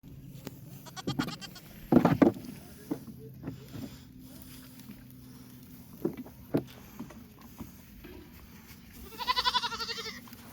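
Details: Goats on a homestead bleat in short, wavering bursts, ending with a long quavering cry.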